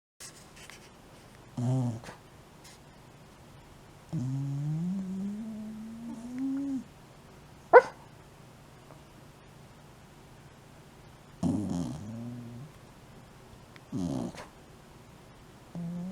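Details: Shiba Inu sound asleep, repeatedly snoring and talking in its sleep; soft whiny moans and drawn-out whimpering groans that rise slightly, several seconds apart, with short snorts between them in a quiet room.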